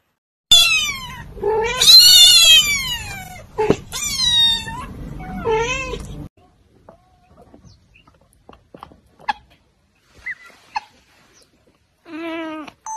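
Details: Cat, likely young-sounding, letting out a run of high, piercing meows that sweep downward, four in quick succession over six seconds, then near silence with small clicks before one last softer meow.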